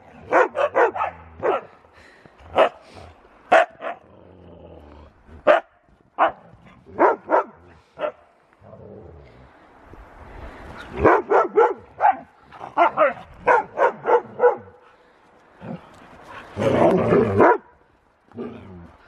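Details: Play-wrestling huskies, their roughhousing only a game: quick clusters of loud barks and yelps, some higher-pitched yips. A harsh, noisy growling burst comes near the end.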